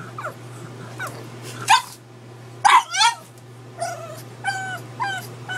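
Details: Pug named Edward barking at a gallon-size water bottle indoors; sharp yelping barks and whiny, wavering cries follow one another every second or so, with a steady low hum beneath.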